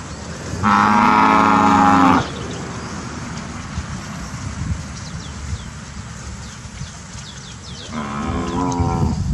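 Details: Brahman heifers from a breeding herd in Sabah, grazing in their pasture: one long, loud, droning moo of about one and a half seconds, then a quieter stretch with low rumbling background, and a second moo starting near the end.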